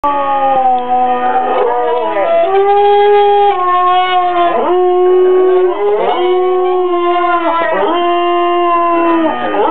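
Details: Female pet dog howling at an alarm clock she hates: long wavering howls, each sliding down at the end, rising again roughly every one to two seconds, strong and continuous throughout.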